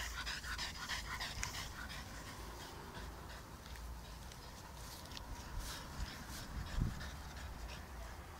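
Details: One-year-old French Bulldog playing outdoors in a yard with its soft Dalmatian toy, heard panting rapidly and steadily throughout, with a faint low hum beneath and a brief thump near the end.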